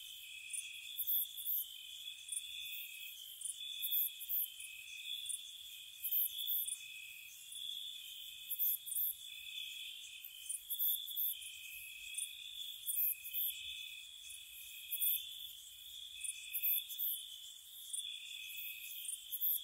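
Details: Night crickets in spring at a countryside cottage, sustained high trilling with slightly shifting tones, punctuated by bursts of very high rapid pulses that return in groups every two to three seconds; no other sounds stand out.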